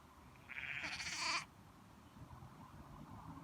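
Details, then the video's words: Baby lamb on a farm giving a single high, nasal baa of about one second, strong and slightly wavering, then silence apart from a faint low background rumble. "Cute baby lamb bleating - Baby lamb makes baaing sounds"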